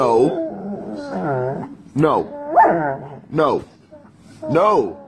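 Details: Doberman dog from a funny compilation making drawn-out, wavering whine-like yowls that rise and fall in pitch, about five separate arching cries over five seconds, loud and close.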